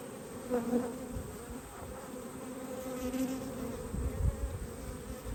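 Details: Honey bees humming inside a hive during an inspection on 19 March 2022, a steady low drone with a clear tone and overtone held throughout, broken by soft knocks and handling noises.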